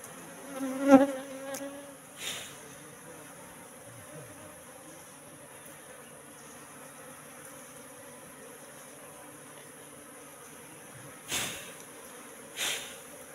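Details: Wild Asian honey bees (Apis cerana) entering a three-month-old trap box: a steady, low buzzing hum with layered tones, broken by sharp knocks near the start and twice near the end.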